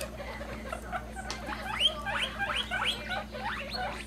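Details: Baby guinea pigs, pets popcorning and jumping around happily, give a run of rising squeaks repeated about three times a second over a low steady hum.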